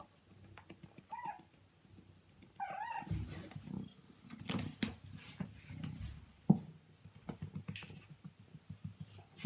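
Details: A male Siamese cat indoors gives two short, wavering mid-pitched meows a second apart, followed by soft thumps, rustling and handling noises.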